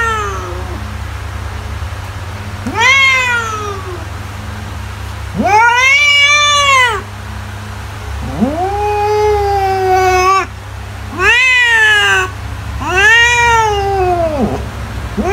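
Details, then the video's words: Cat repeatedly meowing, six loud arched cries over fifteen seconds, some short and sharp, others stretched and wailing, pitch rising then falling in each, set against a steady low background hum. "CAT SOUNDS TO SCARE MICE AWAY"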